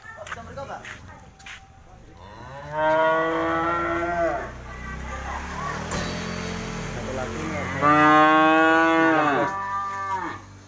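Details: Cattle offered for sale, ten head present at the market. Two loud, long, rich moos, each lasting about one and a half seconds, sounded several seconds apart. Faint knocks and low background murmur fill the gaps.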